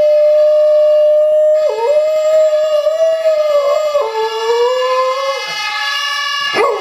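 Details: A dog howls in long, wavering, sliding tones, joining a steady electronic siren tone played from a mobile phone.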